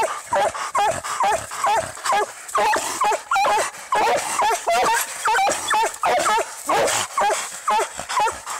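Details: Treeing Walker Coonhound in a fight with a raccoon, barking and yelping in a fast, uneven string of harsh, wavering cries, roughly two per second, with constant background hiss.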